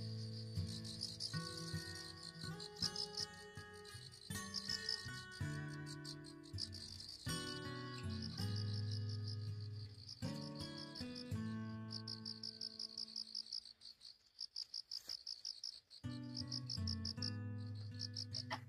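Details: A cricket chirps in quick, high, pulsing bursts over soft, slow instrumental music, recorded at dawn in an outdoor flower bed in autumn, with cool weather after rain.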